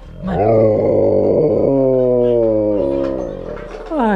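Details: A male Alaskan Malamute, reacting to a familiar song, howls along in a long, wavering, tuneful, raspy voice that steps down in pitch and rises again.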